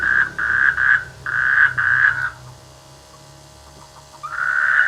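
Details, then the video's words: Rainy-season frogs calling from rice fields near a village, giving a run of short, buzzy pulsed croaks in quick succession, then falling silent before another caller starts up. "The sweet sound of frogs in the rainy season"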